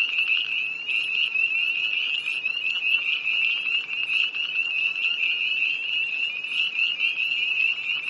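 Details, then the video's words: Chorus of tree frogs by a pond near Hillsborough, North Carolina, on a cold dark night, 1 March 2011: dense overlapping high peeping calls, continuous and shrill, many frogs calling at once without pause. "Early Tree Frogs, NC, 2011"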